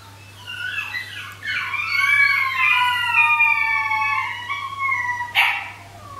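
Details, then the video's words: Three 13-week-old Shetland sheepdog puppies howling together at night, calling for their pack after one woke feeling alone: overlapping drawn-out, wavering high howls that rise and fall, ending in a short yelp, over a faint steady hum. "Pure bred sheltie puppies or wolf hybrids? - howling"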